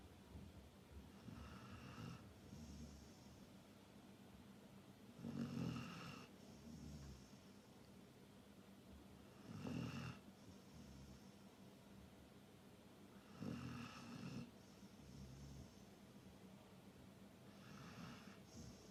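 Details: Labrador Retriever snoring while asleep: slow, rough low rumbles on each breath, swelling roughly every four seconds with a faint hiss between, in a quiet room.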